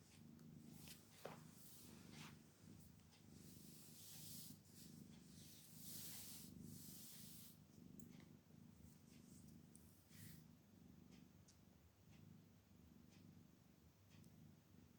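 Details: Kittens purring as they stretch and yawn, a continuous low rumble broken by soft rustling, brushing noises and brief clicks indoors.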